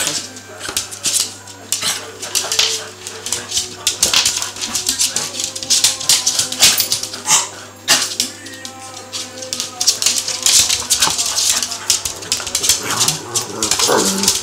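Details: Two Cavalier King Charles Spaniels play fighting, not real fighting, during a bout that lasted about an hour; dense bursts of rough growling and snarling noise with scuffling clatter, hissy broadband crackles throughout and a steady low hum beneath.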